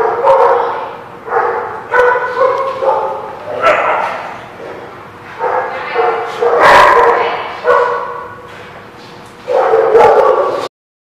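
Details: A dog gives irregular bursts of yipping barks and bow-wow calls, several seconds apart. Human speech is mixed in between the barks.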